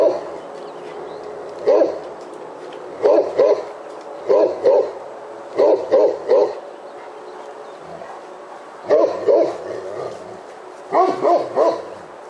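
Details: Outside a house, Roxy, a Great Pyrenees, keeps a black bear up a tree with steady deep barking in clusters of two or three, roughly every one to two seconds, with short gaps between clusters.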